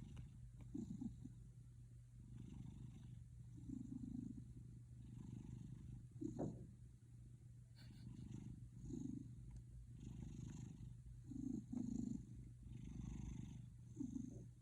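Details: Pet cat purring, a low throbbing rumble that rises and falls in rhythmic bursts, like snoring, over a steady background hum.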